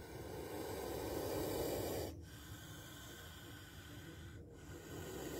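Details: A spectacled cobra, recorded while it tries to bite, lets out a loud, harsh hiss of about two seconds that ends suddenly. It is followed by quieter breathy noise and low background rumble.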